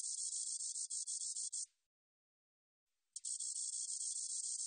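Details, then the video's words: Spotted meadow katydid song from the National Institute of Biological Resources, 2020: a dense, high, buzzy trill with rapid pulses, running about 1.7 seconds, then a silent gap before the buzzing resumes abruptly and carries on. "점박이쌕쌔기, 여러번 듣기, 곤충소리"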